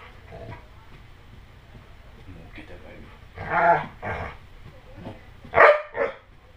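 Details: Pit bull-husky mix named Dojo guards a new baby against pretend attacks; after quiet speech, a burst of barking around the middle, then two more loud barks near the end, indoors.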